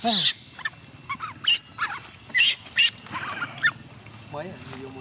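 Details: Gina, a young chimpanzee, protests her carer leaving for home: short shrill screams in sharp separate bursts, a rising whimper near the end, and quiet murmuring of people in the background.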